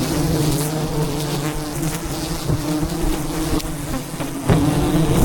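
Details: Thousands of wild bees swarm around a giant beehive high in the mountains during a honey harvest. A dense, low, steady drone holds throughout, with faint overlapping hums and scattered sharp knocks.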